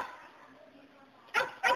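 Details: Border Collie shepherd dog: after a near-silent pause, two sharp barks arrive close together at the end.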